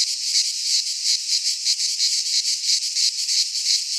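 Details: Cicadas in midsummer within a pine forest in Greece give a sharp, high-pitched electric buzz that throbs in quick pulses about three times per second, constant throughout, the only sound present.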